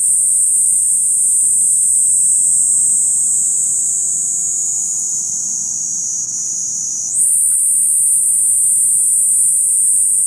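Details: Kaempfer cicada singing a continuous, high, shrill buzz that holds steady for about seven seconds, then jumps abruptly to a slightly higher pitch and carries on unbroken to the end, with faint low background rumble.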